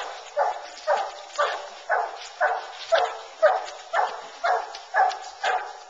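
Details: Bluetick Coonhounds on a coon hunt, running a track in a cornfield and then treeing in the woods, bay in a steady run of loud, hoarse barks about twice a second.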